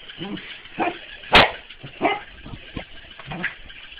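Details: A corgi, playing with a mechanical ball, gives short, scattered barks and yips, broken by one sharp, loud crack.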